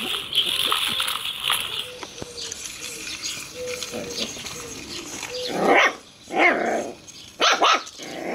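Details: Five six-week-old Jack Russell Terrier puppies attacking a remote-control toy cobra give sharp, high yaps in quick bursts.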